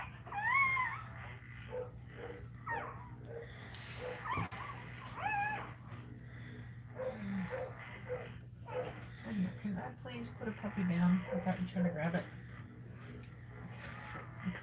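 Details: Cane Corso crying while another dog is in labour: high, wavering whines with stacked harmonics rise and fall near the start and again around five seconds, over low human voices and a steady electrical hum.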